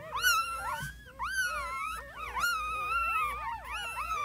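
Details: Newborn puppies cry in long, sliding whines, some held steady and others swooping up and down, two or more voices overlapping continuously.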